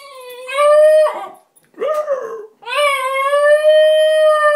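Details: Basenji left at home howling for its absent owner, giving a rising, wavering, whine-like howl, a brief broken cry, then a long sustained tonal howl that holds its pitch.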